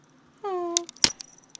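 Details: A pet cat named Athena, indoors, searching for a mysterious noise, gives a single drawn-out meow that slides slightly downward, followed by sharp clicking and tapping sounds, with a woman talking softly nearby.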